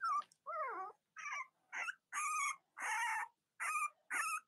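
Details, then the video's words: Cavalier King Charles Spaniel puppies from a litter with nursing mothers, indoors in autumn, cry in a steady run of wavering whines and squealing yelps, roughly one or two each second, some harsh and breathy. "Cavalier Puppy Live Stream: Robin & Myra's Puppies"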